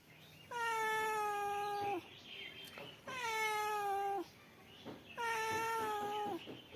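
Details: Male domestic cat meowing: three long, drawn-out harmonic meows, each lasting over a second and holding a steady pitch before dropping slightly at the end, spaced about two seconds apart in a quiet room.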